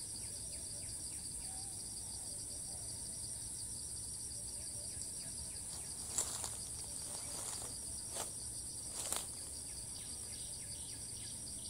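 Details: Cicada in Thailand, filmed from a distance, calls on after each flight: a constant high, pulsing drone, broken by a few sharp handling knocks and rustles midway.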